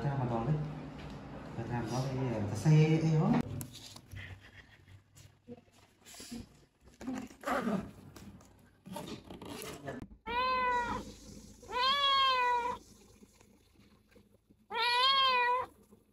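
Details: Female rescued stray kitten, sick with cat flu, at the animal hospital for the first time: talking in a small room, then three arched, drawn-out meows about two seconds apart.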